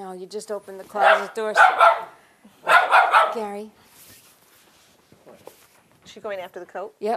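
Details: Jack Russell Terrier Maxine, 1.5 years old, reacting indoors to people leaving the house with two short bursts of harsh, rapid barking, each about a second long, and people talking before and after.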